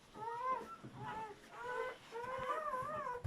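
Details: German Shepherd in labour, a litter of seven puppies being delivered; high, thin whimpering cries, four drawn-out wavering whines rising and falling over about three seconds, separated by short quiet gaps.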